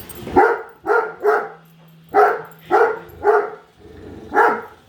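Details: A female Great Dane barks nonstop at a newly unboxed Roomba robot vacuum, giving deep, full-throated barks, some paired close together, over a faint steady mechanical hum.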